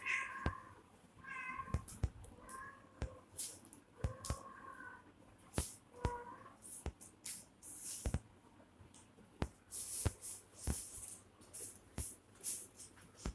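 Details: Baby kittens fighting with each other indoors: a run of short, high, wavering meows over the first six seconds, then scuffling, clicking and rustling noises as the play-fight continues.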